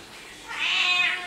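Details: Domestic cat, billed as a talking cat, makes one sustained high meow, a bright harmonic sound that holds steady for most of a second with a slight wavering toward the end, with little background noise.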